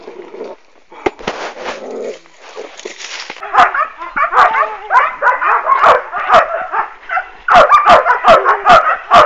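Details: A litter of working-line German Shepherd puppies, sired by Boris Solidblack out of Tisia de la Senda. A crackling, noisy opening gives way to dense, overlapping high yips and barks from several pups at once.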